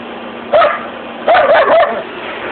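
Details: Holly the border collie, running during a dog walk, lets out a short yelp, then two quick wavering, whiny barks with a bending pitch, all over a constant broadband rumble of motion noise.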